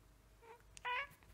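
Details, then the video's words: Pet cat begging to be fed before its usual noon mealtime, a soft short mew followed by one sharp, bright, rising-falling meow in a small indoor room. "Hungry cat makes funny noises"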